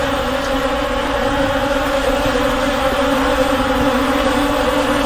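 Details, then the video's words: Massed honey bees in a swarm give a steady, resonant hum with a low drone and brighter overtone band, slightly softer but unchanging throughout. "SOM DE ABELHA-EFEITO SONORO ABELHA-ENCHAME DE ABELHA"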